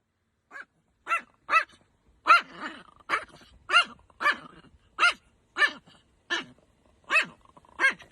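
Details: Angry Chihuahua named Niki barking in sharp, high, harmonic yaps, about thirteen short barks spaced roughly half a second apart with a few brief pauses, faint growly tails trailing some barks, no other sounds.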